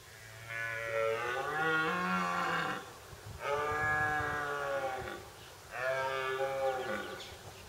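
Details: Red deer stag howling as he walks towards two other stags resting on the ground; three long, moaning harmonic bellows, each two to three seconds, separated by short pauses, with faint background rustle.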